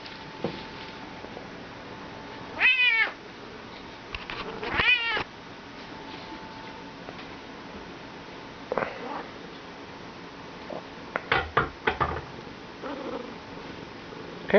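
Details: Talkative Bengal cat being petted indoors, giving short rising-falling meows at intervals amid quiet room noise, with a man telling it not to knock things over.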